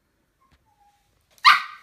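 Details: Pet dog in training gives a single short, sharp bark on the spoken command to talk. The bark is loud and abrupt, following near silence with a faint whistled tone beforehand.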